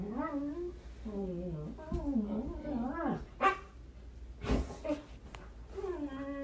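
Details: Siberian Husky described as crazy and hyperactive, giving a run of drawn-out, wavering howl-like vocalizations that slide up and down in pitch, with short breaks and a few sharp clicks between them over a steady low background hum.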